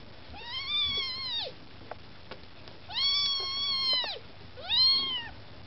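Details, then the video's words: Maine Coon kittens with mother cat Lakshmi, begging for food: three loud, long, whining meows, each swelling and then bending down at the end, with short gaps between them. "Котята мейн-кун: хочешь есть - умей втереться"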